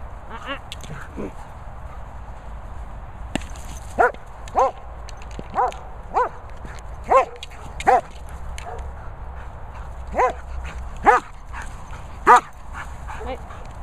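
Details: A German Shepherd bitch barks while playing with a boomer ball. Short, sharp, harmonic barks come singly at irregular intervals of about half a second to a second, roughly ten in all, over a steady low hum, after a man's brief praise.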